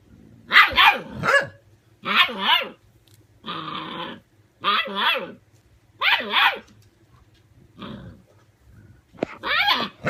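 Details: Six-week-old puppies facing a 17-year-old dog; a series of short harsh barks in pairs and triplets, with one rougher growl-like burst, repeated through the clip over a low steady hum.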